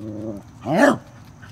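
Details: Corgi near a stink bug: a low steady whine breaks off, then a single short rising bark.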